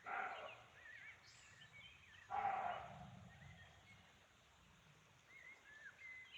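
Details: Roe deer calling in the forests of Chaumien, France, possibly for territory or mating: two rough, breathy barks about two seconds apart, then quiet while songbirds keep twittering and whistling in the background.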